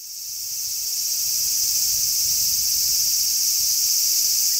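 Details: Many large brown cicadas calling together on a zelkova tree on 3 August 2010 in a strong sea breeze: a dense, steady, high sizzling drone that swells up over the first second and then holds level, with soft low wind rumble beneath.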